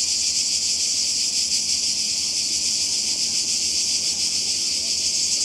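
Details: Summer cicada chorus on the Croatian coast, 2020, a constant shrill buzz held without pause, its high band pulsing slightly in strength over the few seconds.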